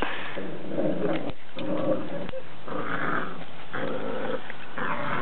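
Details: Dog growling in play while being dragged around a backyard by another dog. Rough, noisy growl bursts come roughly once a second, with brief gaps between them.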